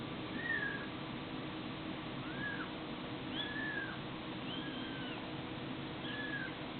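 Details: Cat or kitten from a compilation of funny cats and kittens, giving a run of short, arched mews that rise and fall, roughly one every second, over a steady loud background hiss.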